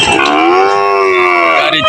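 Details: Sahiwal cattle at Putia market in Bangladesh, brought by truck to be sold: a long, steady, strongly harmonic moo lasting nearly two seconds, with faint voices in the background.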